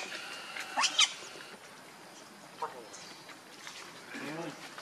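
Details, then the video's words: Monkey Rainbow, very angry, protecting Lucie from Kachoy: two sharp, shrill, high screeches in quick succession at the start, then a brief lower outburst and softer wavering harmonic cries near the end, over a faint rural background. "Rainbow Very Angry To Protect Lucie From Kachoy"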